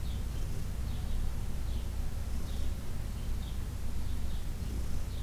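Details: Heidi, a senior cat adopted from the Humane Society of New York City, purring during a massage on June 17, 2021: a steady, deep low rumble throughout, with faint high bird chirps in the background.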